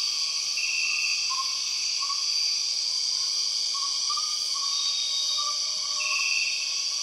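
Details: Borneo rainforest soundscape with empress cicadas: steady, piercing layered drone high in pitch, never pausing, while a softer mid-pitched note pulses irregularly below and two short bright trills stand out.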